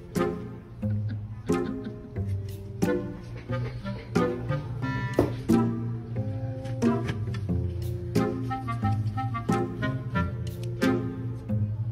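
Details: Light instrumental music of plucked strings, double bass and woodwind notes in a bouncy rhythm, with no animal sound.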